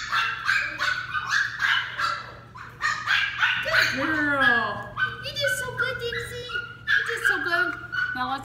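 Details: Dixie, a female Westie puppy being trained, lets out a rapid series of high, sharp barks and yips, roughly three a second, that blend into whines as a woman talks over them with praise.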